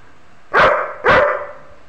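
A German Shepherd gives two deep, forceful barks about half a second apart, sounding off at a stranger.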